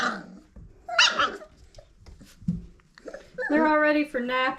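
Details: Old Family Red Nose Pit Bull puppies at five weeks, from Abby and Ragnar: a short squeal, then quiet, then a run of strong, tonal, drawn-out yelps near the end, with a human voice nearby.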